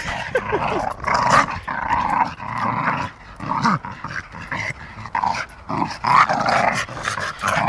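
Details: Two Staffordshire Bull Terriers, one a female, growl and grumble while playing rough together, with short bursts of noise throughout.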